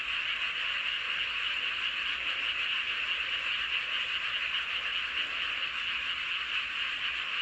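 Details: Many frogs calling at once under a full moon in Hoengseong County, Gangwon Province, South Korea, their voices fused into a steady, dense trilling hum that holds level throughout.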